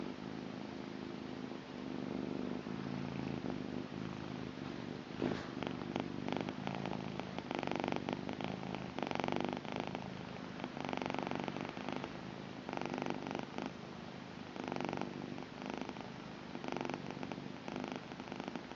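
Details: A blue British Shorthair cat, a female, purrs steadily, a low rumbling drone that pulses with each breath.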